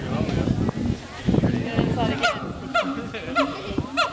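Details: A siamang at Western Plains Zoo, Dubbo, Australia, gives a run of loud, honking, downward-sliding barks, with people talking and laughing nearby.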